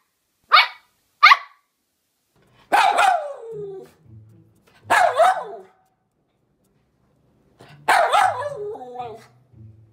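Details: Two quick, sharp poodle barks open the clip, followed by three longer, drawn-out barks that trail into whining, wavering tones over a low hum.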